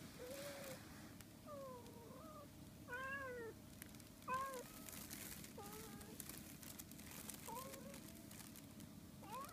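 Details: Two Siamese cats, one keeping its distance from the other for fear of a sudden cat punch; a Siamese cat gives a run of short, arching meows, each rising then falling, every second or so.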